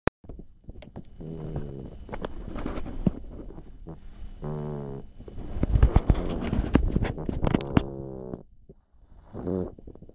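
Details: Pug named Chip snoring while asleep: a run of low, rumbling, rattly breaths with brief nasal, tonal groans mixed in, sputtering and uneven, with a short pause near the end.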